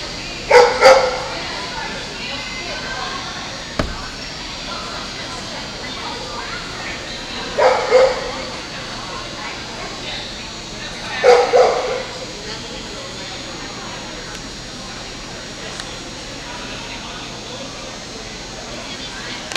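An Alaskan Malamute gives three short, gruff double woofs, spaced several seconds apart.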